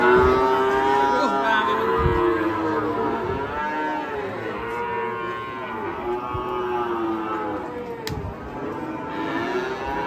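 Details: Fierce, raging cattle bellow in long, drawn-out moos with strong harmonics, several overlapping calls rising and falling in pitch across ten seconds, a sharp click near the end and faint voices in the background.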